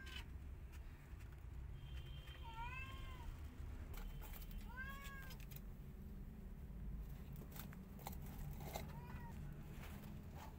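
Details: White cat, not happy as a tiny kitten tries to enter her hut: three clear bent meows a few seconds apart, rising then falling, with scattered clicks and a constant low background hum.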